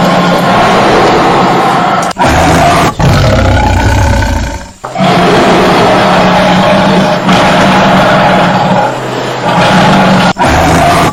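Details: Sustained loud tiger roars, harsh and throaty with a low rumbling base, running in long stretches broken by brief sharp cuts.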